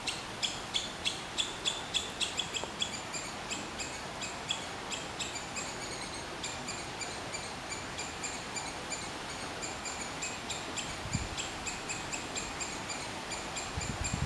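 A squirrel gives a fast, steady series of sharp, high chirping notes, several each second.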